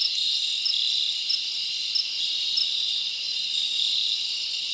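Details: Summer night in the forest, with many crickets chirping together in an unbroken shrill buzz, a high, even wall of trilling that barely changes over the few seconds.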